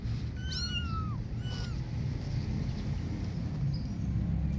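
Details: Kittens out playing outdoors utter two high, slightly bending meows in quick succession, the first longer and falling at its end, over a constant low background hum.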